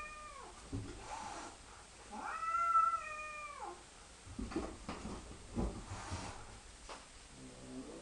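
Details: Cat meowing during an interaction between a young cat and an old adopted stray: long wavering meows rising and falling, one strong tonal wail in the middle, then shuffling noises and a low gurgling sound.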